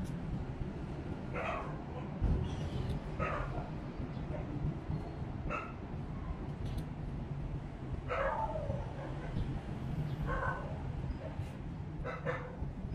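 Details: Jupi, a cat that is still eating little, being taken to the shelter: short falling meows with stacked harmonics, six or seven spread across the recording about every one to two seconds, over a steady low rumble.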